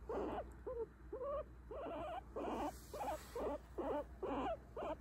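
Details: Pet guinea pig being petted, reacting to where it is touched: a series of short squeaky chirps, about eleven bursts over five seconds, each wavering and slightly rising, with little background noise.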